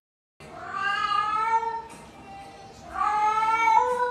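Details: Pet cat giving two long, loud, drawn-out meows, rich and nasal, the first held for over a second and the second starting after a brief pause and rising in strength before trailing off.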